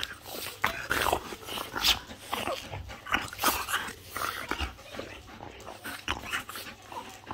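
Harsh, breathy bursts come from a French Bulldog, mixing snorts, huffs and growling noises in an uneven rhythm. These aggressive vocalizations repeat every second or so in a small indoor room.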